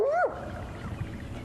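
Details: Spotted hyena (Crocuta crocuta) at sunrise, one of about 12 harassing the Tsalala lion pride, gives a single rising whoop that swoops up and falls away, rallying the other hyenas as they come in on the lions.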